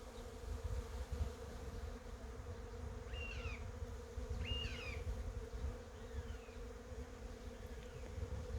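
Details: Among cherry blossoms, honey bees keep up an unbroken hum while a bird gives two clear, sliding chirps midway, with a faint low rumble beneath.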